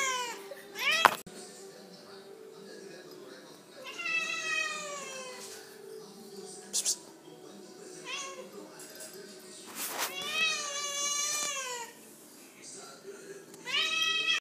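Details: An angry cat gives several drawn-out, wavering meows, each rising then falling, in bursts of one to two seconds spread across the recording, with a person talking in between.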